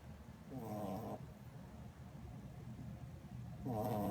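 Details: A sleeping Corgi puppy snoring: two short, throaty, rattling breaths, one early and one at the end, separated by a quiet stretch of low background hum.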